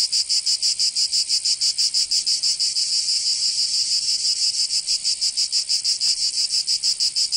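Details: Cicadas singing in summer in Provence, southern France: a loud, harsh, high buzzing chorus pulsing rapidly about three times a second, steady and continuous throughout, with no other sounds.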